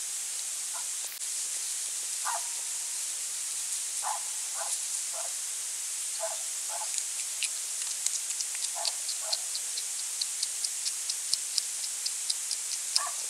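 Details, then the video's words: Autumn night, 23 November 2020, central France: a European hedgehog hunts small slugs by a little pond and bird feeder; repeated paired nasal snorts give way to a rapid series of sharp, ticking clicks like chewing. "HÉRISSON/Automne/Nuit/Recherche Nourriture ! BRUITX"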